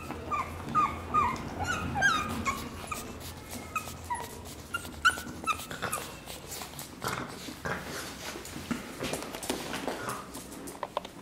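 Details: Pug puppies giving thin, high squeaky whimpers in quick short bursts during the first half, then fading into soft shuffling and rustling noises indoors.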